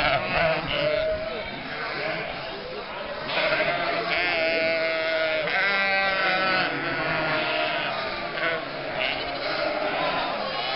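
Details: Flock of nearly 1,000 sheep, lambs and goats driven in May through the historic town centre and lanes of Mörnsheim, Altmühltal nature park, Germany, from winter to summer pasture; many overlapping wavering bleats, high and low, with crowd noise.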